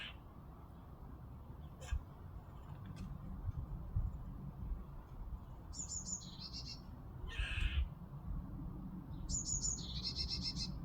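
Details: A squirrel gives two bursts of harsh chattering calls, heard while hanging washing outside and mistaken for a strange bird, over a steady low rumble of wind.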